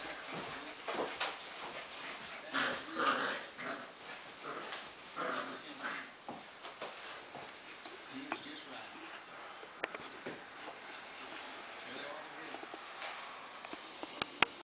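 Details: Fox terrier puppy playing indoors, giving short scattered yips and whimpering sounds among rustling and thumps, with some human speech in the background of a small room.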